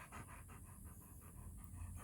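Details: Male show-line German Shepherd in Florida, elbows and hips OFA certified, panting while told to sit: rapid, even breathy bursts about six per second over a constant low hum.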